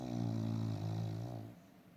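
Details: Dog asleep, one sustained low droning snore with a buzzing, harmonic tone lasting about a second and a half, then fading to quiet breathing.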